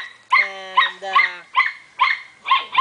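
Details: Belgian Shepherd puppy making a run of six harmonic whining yelps, the first two drawn out, the rest short and evenly spaced.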